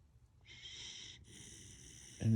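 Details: Baby Husky sleeping on a purple bed and snoring, a breathy hissing intake followed by a longer softer exhale, with a brief human voice at the very end.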